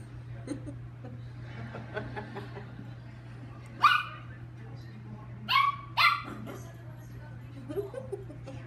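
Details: Chihuahua Lucky excited in play: soft rustles and murmurs, then one sharp high yap followed by a rapid pair of shrill barks, with a steady low hum in the background.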